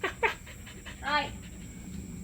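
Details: A 6-month-old agouti Siberian Husky gives two quick breathy yips, then a longer, tuneful whine-like howl.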